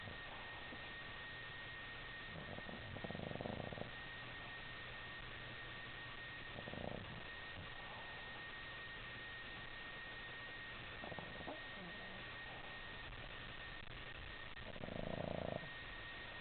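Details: Chloe, a sleeping Boston Terrier puppy, snoring while twitching in her sleep; soft, breathy, rasping snores come roughly every four seconds, the last one longest and loudest, over a steady hiss and a constant electrical hum.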